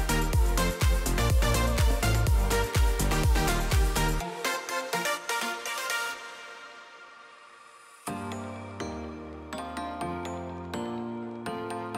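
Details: Electronic dance music with a driving beat that drops to a quiet, sustained ambient passage before the beat and synths return; no animal sounds.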